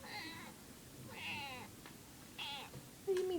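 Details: Female house cat possibly in heat makes odd, strained meows, three drawn-out wavering cries spaced about a second apart, indoors, with a woman's voice briefly at the end.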